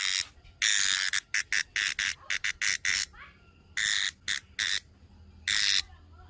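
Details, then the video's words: Brown cicada giving a broken series of rasping buzzes: two longer bursts around a cluster of short choppy pulses, then quieter pauses before a final long buzz. "Real sound's Brown Cicada"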